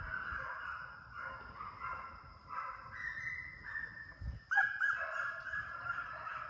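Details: Hound pups bred for deer, conditioned in a high-speed fox pen after coyotes in summer; long, sliding bawls from multiple dogs, a sharp yelping burst near the end, faint background hum.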